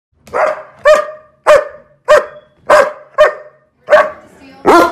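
A German Shepherd dog gives a string of loud, deep barks, about one every half second.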